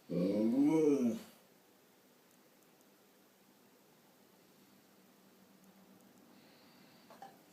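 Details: Siberian Husky indoors, following its owner to the bathroom, opening the door and coming to talk. A single drawn-out, wavering, harmonic howl-like vocalization rising and falling for about a second, then near silence with a faint thump at the end.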